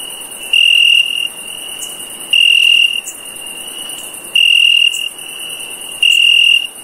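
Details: Night-time cricket calling in pulsing bursts: four bright, even, high trills of around half a second each, separated by pauses of one to one and a half seconds, with a soft steady hiss behind.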